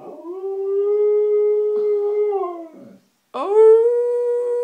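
A husky–samoyed mix dog gives two long, steady howls with a rich, ringing tone.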